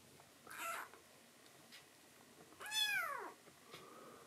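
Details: Tuxedo kitten, a foster rescue, calling to its mother at night after drinking milk; a short high cry, then a clear falling meow with strong harmonics, and a soft trailing note in a quiet room.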